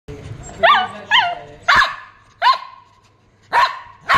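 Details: A Shih Tzu dog barking: six sharp, fairly high barks spaced irregularly over about four seconds, some with a brief rising-falling yelp quality, clear and close with little background noise.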